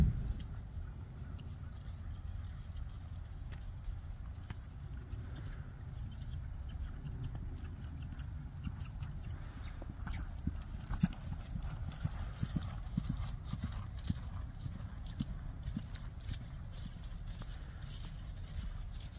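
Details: Friesian mare being ridden, her hooves striking the ground in a steady, low, thudding clip-clop that grows more distinct in the second half, with a constant low rumble of background noise.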